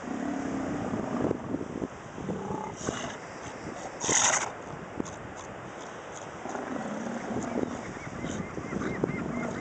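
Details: Sea lion colony at the port of Necochea-Quequén, Buenos Aires Province, Argentina: low, harsh honking calls rise in two drawn-out bouts over steady broadband harbour noise, with a brief louder burst in between.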